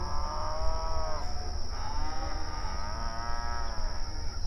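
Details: Grazing open range cattle communicating across the pasture, giving two main moos, one early and one late, each swelling and bending in pitch, with fainter calls overlapping, over continuous low rumble and a thin high whine.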